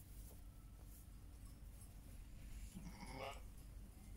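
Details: Bleating from a Heidschnucke flock with lambs, a single wavering, nasal bleat late in the clip over a steady low rumble.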